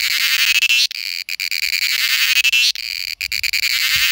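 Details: Mating call of a cicada from India: intense high buzzing phrases about two seconds long, each swelling and ending in a brief break before the next begins.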